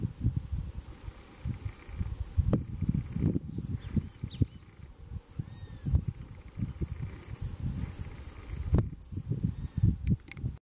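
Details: Marsh rat (Holochilus) pup vocalizing and calling to its mother, a behaviour noted as previously unrecorded; a run of about eight very high, short hooked squeaks in quick succession over heavy low rustling and handling noise and a steady high hum.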